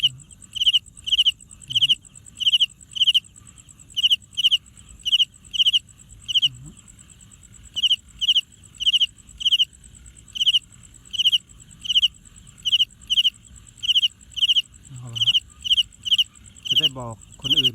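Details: Wing-rubbing cricket heard close: a long series of sharp, high, pulsed chirps, about two per second, briefly pausing near seven seconds, with a few soft low thumps and a rising handling noise near the end.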